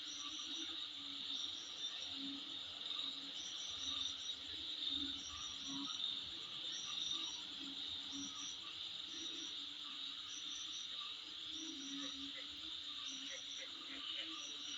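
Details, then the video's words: Insect chorus recorded in front of a home: an unbroken high buzzing whine, overlaid by clustered chirps repeating roughly once a second, with a few lower croaking notes. "Sound Of Insect In Front Of My Place"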